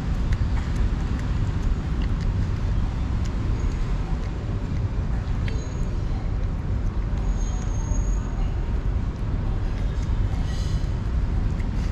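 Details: Loud, constant roadway traffic rumbles throughout, with engine drone and faint passing-vehicle noise, with no animal voice.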